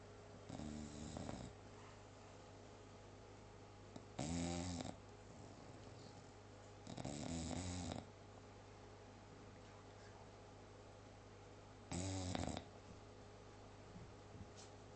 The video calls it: Cherry the English Bulldog snoring